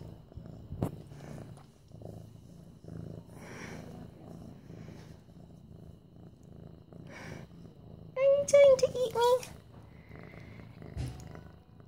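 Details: Continuous low, rough purring from Mufasa, a young orange tabby almost eight months old, as he is petted indoors in September 2015. A short high-pitched voice breaks in around the middle, with quieter talking now and then.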